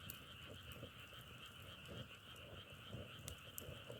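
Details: Frogs calling together outdoors in a nature recording, a steady droning trill holding two bright bands, mid and high, with soft crackling pops scattered through it, much like burning firewood.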